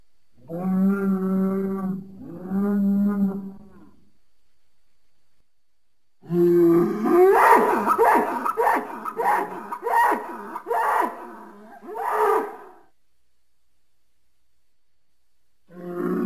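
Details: Bull calling with two steady, low harmonic moos of about a second and a half each, a pause, then a longer, rough, strained bellow broken into pulses that fades after several seconds, followed by the start of another moo.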